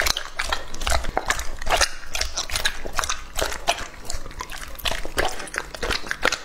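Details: Lucky, a two-and-a-half-year-old male English-type Labrador Retriever, eating raw meat up close: wet, crunchy chewing with irregular smacking bursts and soft licking between bites.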